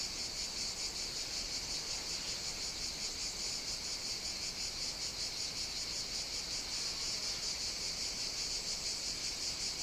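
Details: Summer cicada song recorded on the Greek island of Evia, a loud continuous high buzz with a clearly pulsed, rhythmic shimmer, sustained without pause over ten seconds.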